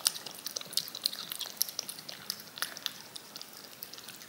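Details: Cat licking yogurt off a spoon indoors, a dense run of quick wet clicks and smacking ticks, bright and crisp, coming several times a second with brief pauses, in a quiet small room.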